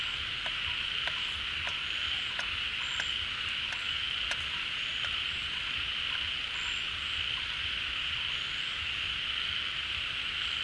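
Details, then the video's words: Many frogs calling together at a pond as water returns in the rainy season, the frogs leaving their burrows and hibernation; a dense, unbroken high-pitched trilling wash with faint scattered clicks throughout. "เสียงฝูงกบร้อง Relaxing Sounds of Frogs, カエルの音, 青蛙的聲音"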